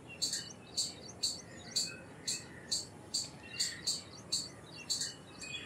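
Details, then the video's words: Indian palm squirrel repeating a piercing, clipped chip about twice per second in an even rhythm, with faint bird twitters behind. "Squirrel Sounds Effects - Squirrel Calls - Squirrel Sound - Indian Squirrel - Squirrel Voice-Vocals"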